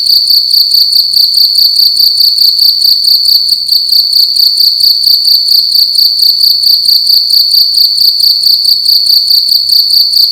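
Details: A cricket making loud noise in a room during the night: steady piercing high chirping, rapid pulses repeating around twice a second, constant and close.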